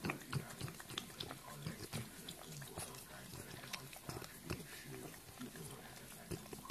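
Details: Low, raspy grunting and snuffling from a French bulldog, short rough bursts coming quickly and unevenly, with nasal snorts and some human speech underneath.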